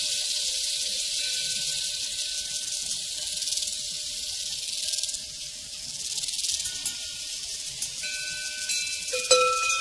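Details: High-pitched pulsing chorus of crickets on a prairie, steady and dense, with cowbells clanking and ringing in sustained tones, growing more frequent near the end.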